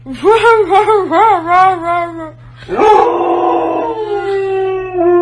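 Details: Pet Siberian Husky talking: a quick run of wavering, up-and-down yowls like chatter, a brief pause, then a longer drawn-out howl that slides slowly downward.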